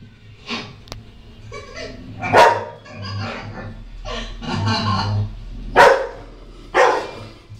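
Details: Frightened Rottweiler puppy, a young female, barking at herself on a TV screen: a series of five or six sharp barks of uneven spacing over a low hum and faint TV sound.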